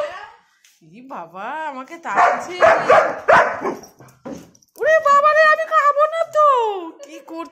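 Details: German Shepherd vocalizing around being given food; drawn-out, wavering howl-like whines with a rising and falling pitch, with people talking and a burst of noisy sound in the middle.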